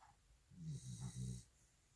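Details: Welsh Corgi named Jandi asleep after a two-hour walk, snoring in one long low rumbling breath of about a second, pulsing in three soft bursts, with a faint hiss alongside; the room is otherwise quiet.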